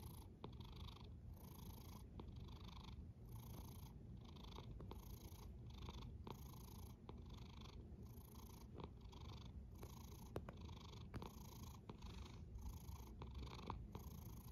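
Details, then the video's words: Rhythmic cat snore: a continuous low rumble with a breathy hiss rising and falling about every second, steady throughout. "A snoring cat"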